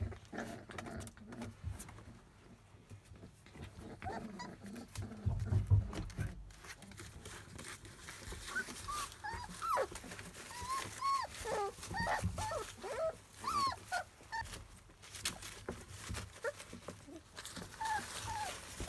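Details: Field-line Labrador Retriever puppies, 27 days old and teething, chewing on everything. Soft rustling and clicking give way midway to a busy run of short, high, arching whimpers and squeaks from several pups, with a low thump early on.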